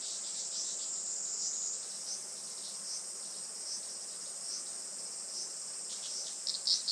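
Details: Cicadas singing on a sunny July morning around 11:30 on a traditional farm in Saitama, Japan: a dense, steady high-pitched buzzing drone with faint pulsing bursts near the end.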